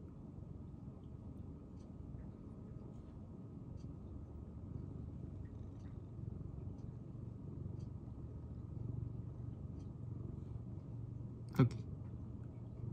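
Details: Tokiji, a shy senior domestic cat rescued in late spring 2015, purring indoors in January 2023: a soft, steady low rumble throughout, with one sharp click near the end.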